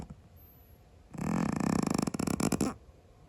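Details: Loud indoor snore from a sleeping Scottish Fold cat: a single rough, fluttering, vibrating inhale of about one and a half seconds, with quiet room noise before and after.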